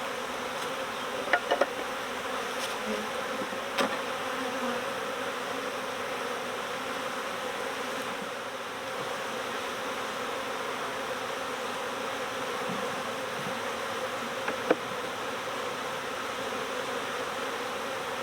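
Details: Swarming honeybees early in swarm season, a colony that swarmed next door being recovered: a steady, dense droning hum with low tonal bands throughout, broken by occasional sharp clicks and knocks.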